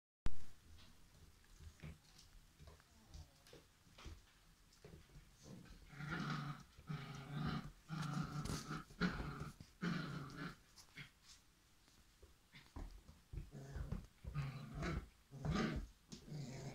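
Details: Irish setter puppies at play, quiet at first, then bursts of low, rough growling from about six seconds in, with snuffling breaths and a second flurry of growls near the end, indoors.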